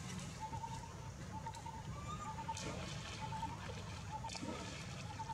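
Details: Leo, a frightened baby monkey that fell into water without its mother, keeps up short, high, wavering whimpers while water splashes and sloshes nearby. A low rumbling hum and some voices sit in the background.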